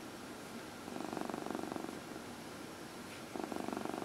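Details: Purring house cat during a massage, indoors; a pulsed, throbbing purr runs for over a second, falls quiet, then resumes near the end.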